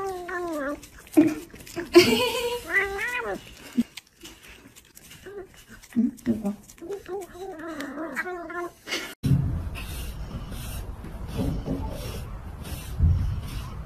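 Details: Baby cats from a cute and funny compilation mew repeatedly: high, wavering cries that bend up and down in quick series for about nine seconds. Then a cut leaves rougher room noise with faint rustling.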